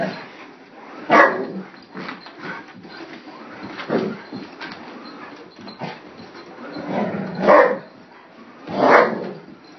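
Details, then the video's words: Dog, a Gryphon, barking at a vacuum cleaner while a person urges it on: several loud, sharp barks spaced irregularly over ten seconds, with softer whines and vocal sounds in between. "Gryphon Barking at the Vacuum"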